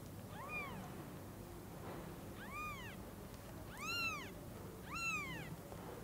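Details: Kittens newly able to see, meeting the mother cat at Lucky Paws: four rising-then-falling meows about a second apart, thin and bright, over a steady low background hum.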